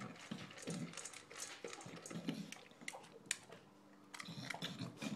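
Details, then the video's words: English bulldog eating dinner at home: short clattering bursts of chewing and licking mixed with low grunting snorts, a brief pause near the end before the noisy munching resumes. "Our English Bulldog enjoying dinner"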